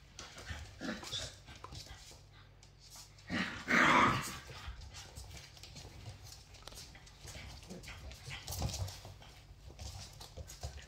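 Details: Lilly, a feisty female Labrador Retriever puppy, playing rough with her teddy bear; one loud, harsh, noisy burst of under a second near the middle, otherwise soft rustling and scuffling sounds of play throughout.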